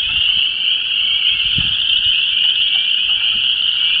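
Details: Spring frog chorus at a disturbed ephemeral depression in Vermilion County, Illinois, with chorus frogs, spring peepers and wood frogs calling to mate: a dense, unbroken wall of high trilling and peeping, with low wind rumble beneath.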